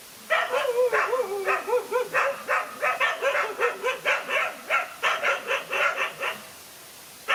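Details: A lone dog squares off against two male dogs. It gives a rapid string of barks, some with wavering, yelping pitch, steady at about two per second, then falls silent before one last bark.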